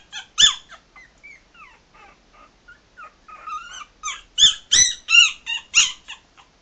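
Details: Maltese puppies, three and a half weeks old, walking around: thin high squeaks and whimpers, some rising or bending in pitch, come in uneven bursts, growing louder and denser toward the end with sharp yelping squeals.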